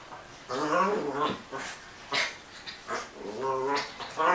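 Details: Indoor scuffle between a Dogo Argentino named Ziza and a Maltese named Princess; strained, wavering snarls and yelping growls come in three or four bursts over a few seconds, mixed with a person speaking.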